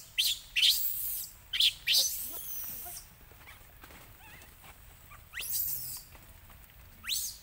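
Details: Hungry baby monkey crying loudly and angrily, begging its mother for milk after she refused it; sharp, very high shrill cries in short bursts, clustered early then two more after a pause, with faint background noise and Vietnamese speech.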